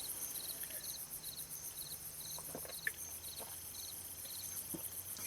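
Crickets chirp in steady, evenly spaced high pulses over a faint continuous insect trill and soft background hiss.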